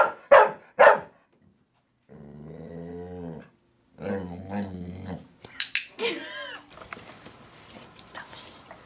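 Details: A female pit bull learning the wipe-your-paws trick barks twice sharply, then a woman talks in a low steady voice, followed by a high, wavering whine and soft indoor rustling.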